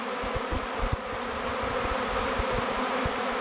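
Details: Around 2:15, a honey bee swarm of thousands circles a log hive called Bee Beard before moving in. A continuous deep buzzing hum with faint pulsing and scattered low knocks fills the air.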